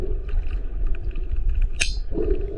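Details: Male sperm whale's slow click: a single loud, ringing clang like struck metal over low underwater rumble.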